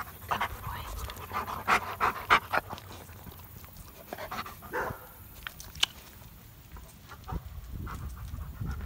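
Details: German Shepherd greeting its owners as they return home from a two-week vacation; quick excited panting and short whining bursts, with people's voices and household rustling throughout.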